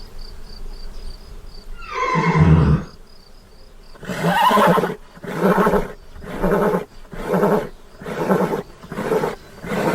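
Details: Horse neighing: a drawn-out harmonic whinny falls in pitch around two seconds in, then a run of about six pulsed, rough bursts, roughly one per second, follows to the end.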